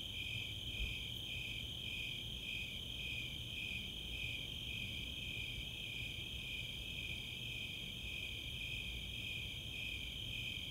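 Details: Summer night chorus of Snowy Tree Crickets and Four-spotted Tree Crickets in the open space of Chautauqua, Boulder, Colorado: high pulsed chirps repeating about twice per second over a steady, continuous higher trill, with faint low rumble beneath.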